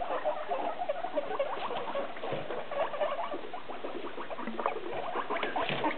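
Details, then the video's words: Six pet guinea pigs in holiday cages, calling out because dinner time is near; dense overlapping squeaks and chirpy wheeks, short tonal notes stacked rapidly over constant rustling and patter of movement. "Six hungry guinea pigs making noise"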